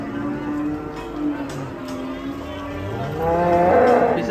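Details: Cattle in an Indonesian compilation of raging cows running loose: a drawn-out harmonic moo swells louder toward the end, with background music and a little talk.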